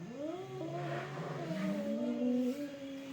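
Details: Cats in a fight: a steady, moaning yowl lasting about three seconds, slowly rising and falling with a slight wavering. Light background hum.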